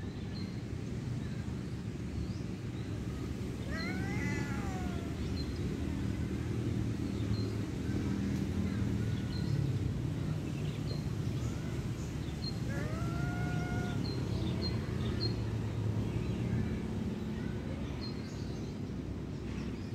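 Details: Cat meowing outdoors, two clear rising-then-falling meows about ten seconds apart, over steady low rumbling traffic noise with faint high chirps scattered throughout.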